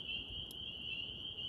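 Spring peepers calling together, their high peeps merging into a steady, ringing night chorus.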